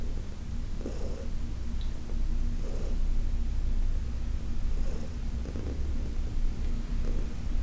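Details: Heidi, a senior adopted female cat, purrs through a massage session on August 4, 2021, with a constant low vibrating hum and faint pulses recurring every second or two.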